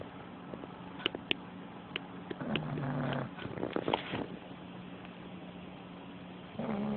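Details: A puggle named Pugly, worn out from playing at her grandparents' home, sleeps with her head up and snores loudly. Rough, buzzy breaths swell in a long noisy stretch mid-clip, then start again near the end, over a steady low hum.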